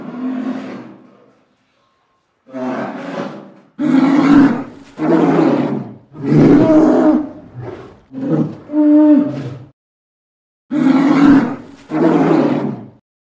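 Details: Polar bear (Ursus maritimus), roar.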